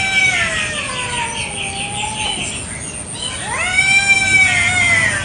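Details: Garden standoff between village cats over territory in the morning: a long, low, gliding moan under a pulsed high chirring, then a sudden rising yowl that holds and wavers to the end.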